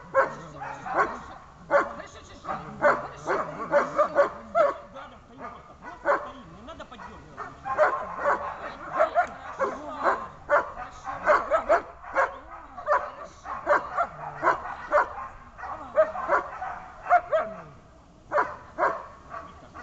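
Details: A German Shepherd at its first protection training session gives harsh, loud barks in quick, nearly continuous runs, with an occasional whine between bursts, while people talk in the background.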